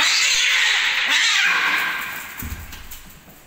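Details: Cats fighting: a harsh, breathy hiss-like screech, loud at first, then fading over about two seconds, followed by a soft low thump and quieter rustling.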